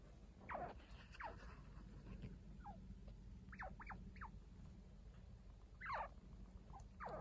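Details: Indoor chinchilla kits, a week old, with adult caretaker Kaito. Quick descending chirps come in small clusters, some paired, between quiet shuffling and a steady low hum.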